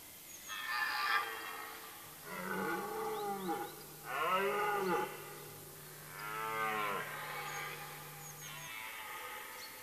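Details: Red deer hart roaring in the September rut in forest in Mecklenburg-Vorpommern, Germany; five hoarse, bellowing roars in a row, each about a second long and separated by short pauses, with a low constant hum beneath.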